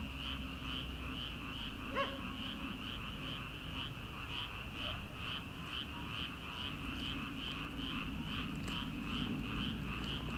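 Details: Late-night rice paddy in early summer, before transplanting: many frogs produce an unbroken, rhythmically pulsing chorus, with a single distant dog bark near the start and soft night-air hiss.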